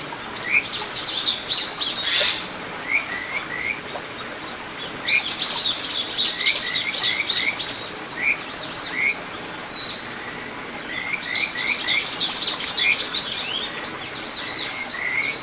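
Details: Kajika frog chorus by a small stream in the satoyama of Ichihara, Chiba, Japan, June 9, 2022: runs of short rising whistles in rapid series, with higher chirping callers overlapping and a soft water background.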